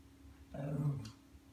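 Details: A single short low growl from Ollie, a Lhasa Apso kept as a pet, frustrated at an automatic feeder in the house that will not open for him; faint hum behind.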